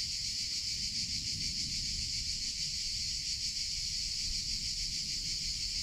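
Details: Summer cicada chorus, a steady shrill buzz that fills the whole stretch without pause, constant in loudness, with a low rumble underneath.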